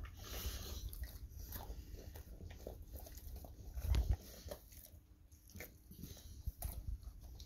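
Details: Indoor Golden Retriever eating its usual breakfast at speed: steady low crunching and gulping chews, a loud knock near the middle, sharp clicks scattered throughout, otherwise a quiet room.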